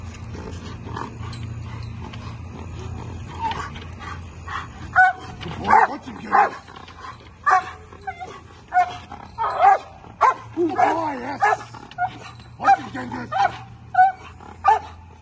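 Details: A Bull Terrier barks in short, irregular bursts during table work with a trainer while a man repeatedly praises it.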